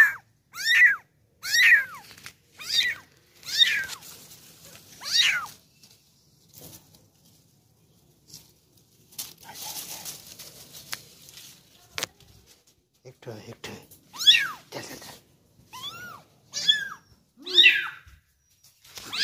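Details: One-month-old kitten, indoors while being fed, gives a long series of high, thin, arching meows, about one per second at first, then a quieter noisy stretch before another run of sharp, rising-and-falling cries.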